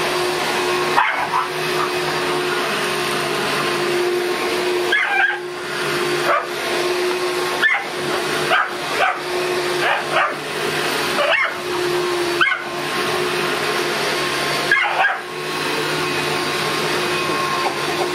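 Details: Boston Terrier barking at a running vacuum cleaner while cheered on by his sister; short sharp barks come every second or two in irregular bursts over the constant loud drone of the vacuum.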